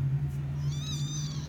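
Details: A thin, high, wavering mew rises over a steady low hum as a Persian cat gives birth to her kittens.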